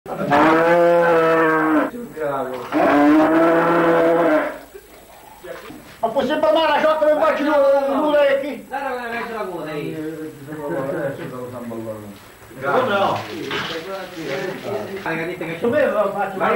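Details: Cow mooing during the birth of a calf, attended by a veterinarian; two long, deep, strained moos fill the first seconds, followed by people talking and calling out excitedly.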